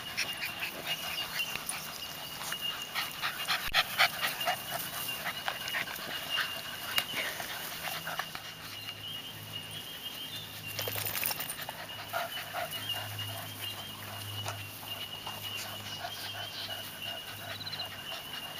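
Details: Seven-week-old pups romping with the adult dogs; fast continuous panting around four breaths a second, some scuffling thumps and brief whimper-like sounds, a steady high tone in the background.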